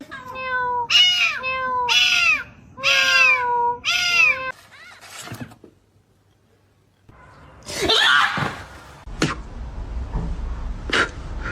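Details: Domestic cat meowing indoors: four loud, arched, harmonic meows about one second apart. Quiet rustling follows, then a sharp burst of noise and a few clicks.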